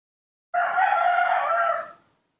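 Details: A newborn monkey calls for milk with a single drawn-out, steady, tonal wail about one and a half seconds long, rich in harmonics and evenly loud throughout, with no other sounds.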